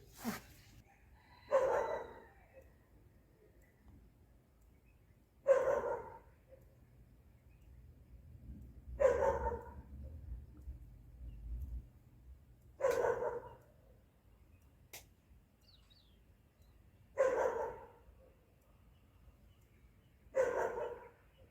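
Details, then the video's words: Dogs barking in the quiet of early morning at dawn on a farm in the mountains of Ras Al Khaimah, UAE: six single, hoarse barks spaced about every four seconds, with a faint low rumble between them. "Thật tuyệt khi nghe thấy tiếng chó trong sự im lặng."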